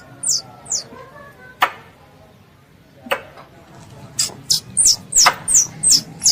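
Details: Squirrel, described as a pest, calling its mother: thin, very high squeaks that sweep downward, two early ones, then a quick run of about seven from the four-second mark, with a few sharp snapping clicks between.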